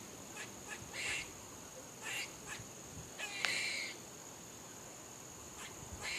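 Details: Barking squirrel gives short nasal barks, singly and in quick pairs, at irregular intervals roughly a second or more apart. Faint background hiss fills the gaps.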